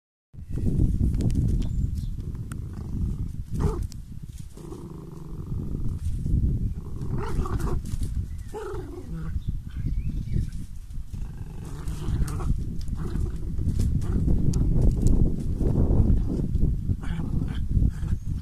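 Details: Little dogs at play, a dense and continuous low rumbling growl with throaty bursts and snorts running through the whole stretch, rising and falling in loudness, with no other clear sounds.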